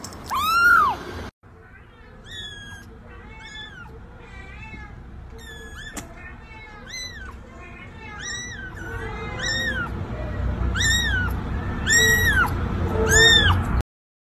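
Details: Kitten giving a long run of high, rapid meows, each short and arched in pitch, coming close together and growing louder toward the end, over a low background hum.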